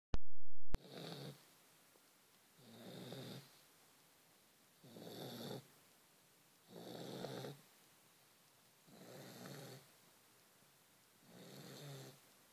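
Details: Vizsla. A sleeping Vizsla snores in a slow, even rhythm, with a low, rumbling rasp on each breath roughly every two seconds. Between breaths the room is otherwise quiet.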